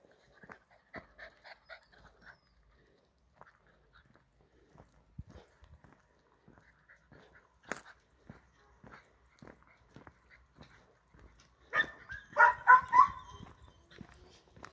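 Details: A poodle returning after a long absence gives soft, short whimpering sounds scattered through the recording, ending in a louder cluster of harmonic whines and yelps near the end, indoors with little background noise.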